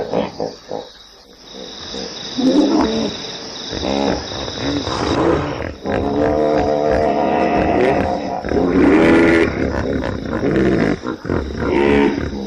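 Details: Hippopotamus giving long, wavering harmonic groans and honks that swell loud after a quieter start, with brief breaks between the calls.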